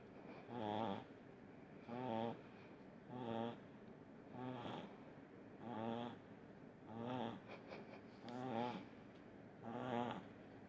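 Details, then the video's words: Small pug named Munichka snoring in deep sleep: eight rhythmic, rasping snores about every 1.3 seconds, each a harmonic, buzzy breath with quieter pauses between, steady and even throughout. "Видео как храпит маленький мопсик Муничка"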